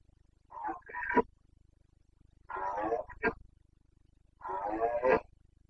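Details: Carpathian red deer stag in the Bucovina mountains during the breeding season, 29 September 2022. Three rough, harmonic roaring bursts, each under a second, with pauses of about two seconds between them. Quiet background.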